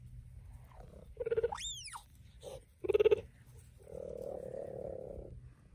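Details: Mother cheetah and her cub calling: short mid-pitched yelps and one high, sharply rising then falling chirp, a second yelp about three seconds in, then a steady, buzzy, purr-like hum lasting over a second.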